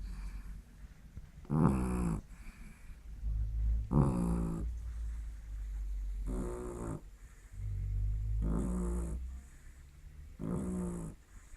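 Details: Lily the dog asleep and snoring: five coarse, vibrating snorts separated by softer low rumbling inhalations, a rough rhythm repeating every two seconds or so indoors.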